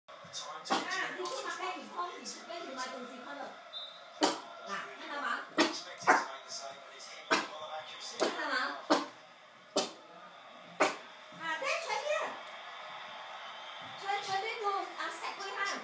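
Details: Daeny, a five-month-old West Highland White Terrier puppy who is getting more vocal, reacts to something in the garden with a string of sharp, irregular barks and yelps, some rising into short harmonic cries, with quiet pauses between bursts.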